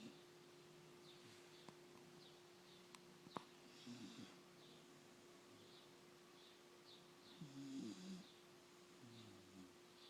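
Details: Sleeping puppy snoring softly, a few faint breathy snores near four and eight seconds over a steady low hum and quiet room noise.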